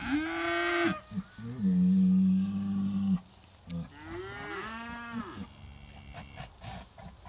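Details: British White cattle, a herd excited by an old cow hide on the hay ring, July 2013: a higher bawl, then a long steady deep moo, followed by a rising and falling bellow fading out among faint background noise.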